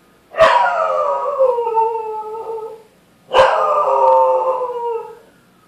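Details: Two long howls from Rocky the dog, triggered by a siren, each starting with a sharp loud onset and sliding slowly downward over about two seconds, separated by a brief silence.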